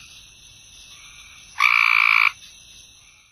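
A Cope's gray treefrog gives one loud, harsh, buzzy trill lasting under a second.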